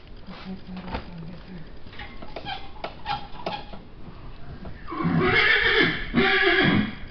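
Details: Pillow Talk, a six-year-old Missouri Fox Trotter mare, being saddled on a chilly day, not ridden since September: after soft talking and shuffling, two loud shrill whinnies break out, each lasting about a second, the second following a short pause.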